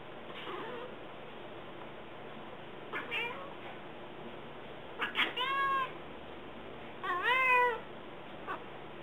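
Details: Pet cat in a backyard making a unique bird voice while talking to the birds: scattered short chirps and trilled, downward-bending mews in small clusters every couple of seconds over constant background hiss.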